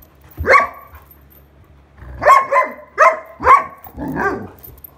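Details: Irish Setter named Sheyenne, frustrated and wanting her toy back, recorded 21 August 2022: one sharp bark, a pause, then a quick run of four barks and a rougher, whining bark at the end.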